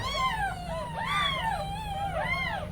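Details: Newborn kittens left alone while the mother cat steps out, crying at home; overlapping arched mews from several kittens, rising and falling, a continuous chorus of calls with a steady low hum underneath.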